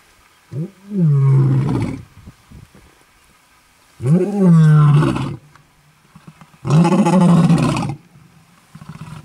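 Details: Lions roaring while marking territory in Kruger National Park, South Africa, in August 2012. Three deep, drawn-out roars, each about one and a half seconds long, come roughly every three seconds, with a grunting onset and strong low rumble.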